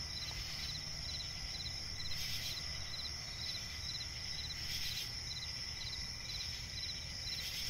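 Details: Crickets chirping in a forest swamp at night, a constant shrill trill layered with rapid pulse groups, intermittent brighter bursts about every one and a half seconds, and a low steady rumble.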